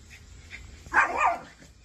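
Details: Playful miniature dachshund, a small sausage dog, gives one short, bright yapping bark that rises and falls over about half a second, after a quiet start with faint background hiss.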